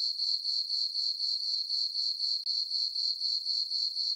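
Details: Crickets chirping on a peaceful summer night in a farm meadow under a full moon: a steady high, ringing trill pulsing about four times per second, even and unbroken, with no other sounds.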